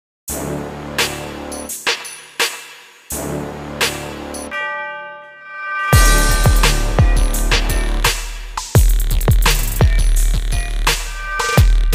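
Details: Electronic dance music with heavy bass, drum hits and a brief sustained synth chord, and no animal sound.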